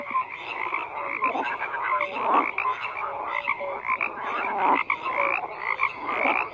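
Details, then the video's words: Frogs croaking en masse, a busy layered chorus of harsh croaks and occasional clearer piping notes, with louder surges about every two seconds. "FROGS CROAKING"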